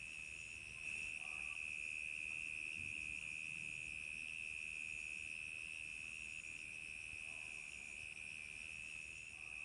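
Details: Crickets chirping on a summer night: a dense, steady high-pitched trill that holds one even pitch throughout, with fainter higher tones above it and a soft low rumble underneath.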